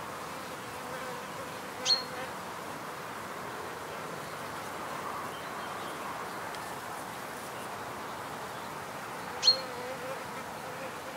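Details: Wild bees in a field recording of pure nature sounds: a soft, steady droning hum runs throughout, broken twice by brief sharp high ticks near the second and ninth-and-a-half seconds.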